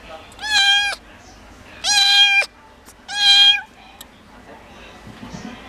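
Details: Munchkin cat kept in a pet shop in Japan, meowing three times, each a bright, high, slightly wavering meow of about half a second, spaced over five seconds with quiet shop noise between.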